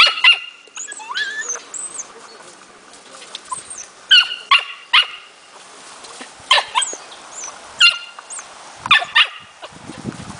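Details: Smooth Fox Terrier puppy, four months old, in playful hunting training: sharp, high yapping barks in irregular bursts of two or three across ten seconds, with birds chirping faintly behind.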